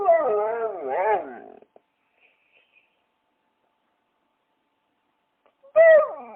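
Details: Dog whining in a wavering, rising and falling tone for about a second and a half, then silence, ending with a sharp high yelp that drops quickly in pitch; quiet indoor setting.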